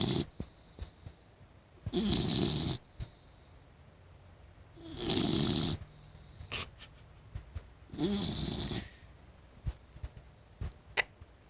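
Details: Wicket, a Blue Nose Pit Bull, snores while asleep; three long, loud rasping breaths roughly three seconds apart, each lasting under a second, with quiet room noise between.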